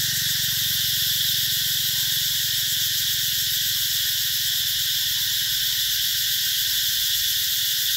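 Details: Mỹ Luôn eco-tourism orchards, Mekong Delta, summer 2021: a constant, piercing high buzz from many cicadas that never lets up, over a faint low hum.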